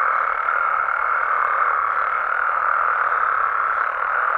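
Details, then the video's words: Frogs calling at night in Mexico: a dense, unbroken chorus forms a steady, even wash of croaking with no clear pauses or single callers standing out, and it holds the same loudness throughout. "Mexican Frogs & Toads Sounds"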